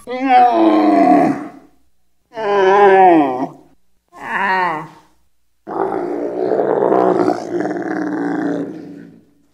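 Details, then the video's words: A camel bellows in three short, rasping, wavering moans, each about a second long with brief pauses between them, then gives one longer, rough, gargling roar of about four seconds. "CHAMEAU qui BLATÈRE Cri du chameau - Camel sounds"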